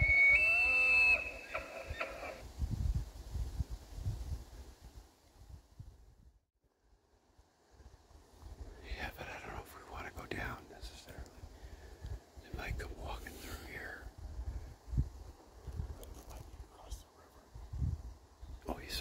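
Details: Bull elk bugling, one of two bulls bugling at each other, stalked near a small cabin on 27 September 2024: a loud, high whistled bugle with stacked harmonics fills the first two seconds, then whispered speech and rustling footsteps follow.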